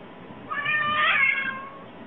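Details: A cat gives a single drawn-out meow lasting about a second, rising then falling, over a quiet background.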